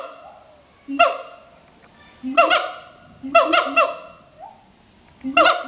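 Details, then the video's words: Pair of adult siamang gibbons singing their territorial duet at Schmutzer Primate Center; low booming notes lead into sharp, harmonically rich barks, delivered in spaced clusters of one to three with soft gliding whoops in the pauses. "Duet Song of Siamang Gibbons (Symphalangus syndactylus)"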